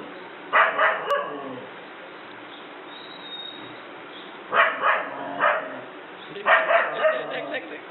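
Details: German Shepherd at home, frightened by a small toy dog, lets out three bursts of quick, rough barks, each burst several barks long, with quiet gaps between the bursts.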